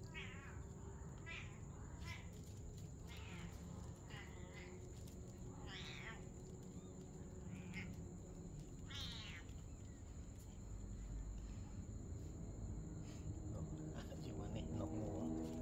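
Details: Cat mother and her kitten at play during the night, giving a run of quick rising-and-falling meows, some wavering, repeated rapidly over constant low-pitched rumble.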